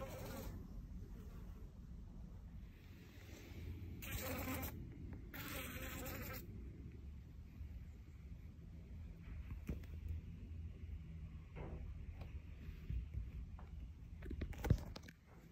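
A fly's low, droning wing buzz hums steadily, with a few brief noisy bursts along the way.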